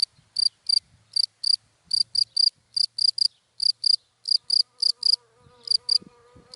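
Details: A cricket in dry grass in the daytime gives bright, high-pitched chirps, each a quick pulsed burst, repeated steadily about three times a second; a faint low hum, likely from passing cars, enters near the end.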